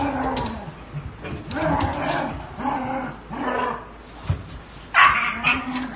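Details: Dogs making drawn-out, low whining tones that rise and fall in several separate sweeps, followed near the end by one brighter, sharper yelp.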